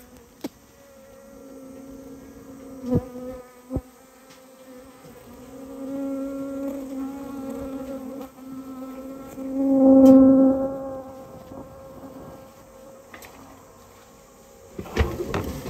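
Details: Colony of Japanese honey bees being removed from a storehouse where they built their nest: an even, humming drone that swells loudly around the middle, with a few sharp clicks and knocks.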